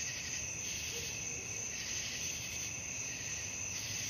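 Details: A nighttime cricket chorus for sleep: high, ringing trills beat in quick regular waves about three times a second, steady from start to end.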